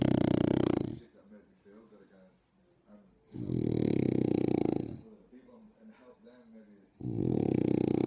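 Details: A French bulldog snores loudly while sunbathing, with rough, rumbling inhalations repeating about every three seconds.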